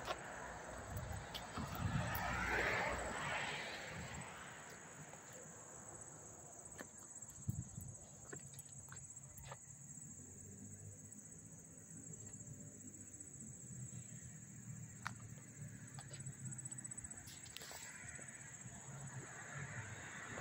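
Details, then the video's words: Crickets chirping up close at Hastings-on-Hudson, New York, on August 13, 2024: a steady, unbroken high-pitched ringing trill runs through the whole recording over a low rumble like passing traffic, with a brief louder disturbance near the start. "the chirping of the crickets"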